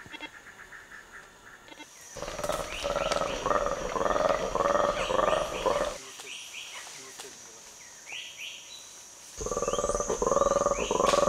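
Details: A black-and-white colobus eagle alarm call, a long run of rough, pulsing roars warning others of an eagle, is played back to feeding chimpanzees in Ugandan forest, and they ignore it.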